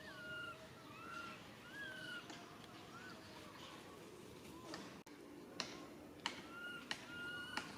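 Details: Young monkey Rain crying out for its mother Rany, who cannot help: a run of short whistled wails, rising and bending downward, in the first two and a half seconds, then sharp repeated clicks or taps with faint cries between.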